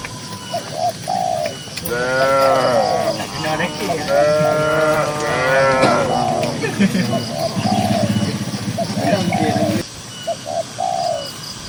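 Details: Herd of dozens of cows on green grassland; several overlapping, wavering moos run together for about four seconds, followed by lower rumbling and scattered short notes.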